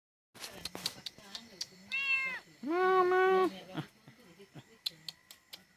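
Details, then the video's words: Domestic cat giving two drawn-out meows, the first shorter and flatter, the second louder and sustained with a slight downward bend, against a quiet indoor background with soft clicks and rustles. "cat sound sound effect"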